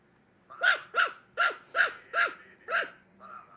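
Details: A female Mico Chihuahua, kept as a pet, barks at a computer screen: six sharp, evenly spaced yapping barks about every half second, then a softer trailing yelp; quiet room otherwise.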